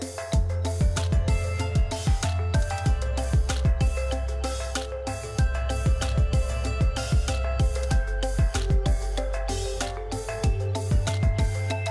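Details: Rhythmic instrumental music with a steady beat plays throughout, with no animal sounds.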